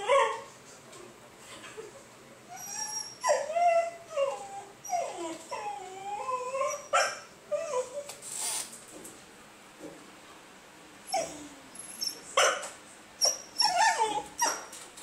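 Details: Pet basenji Yoda making his attention noise to ask to play or be let out to pee: a long series of wavering, warbling tonal whines rising and falling in pitch, with pauses, then clusters of sharp yips and clicks near the end.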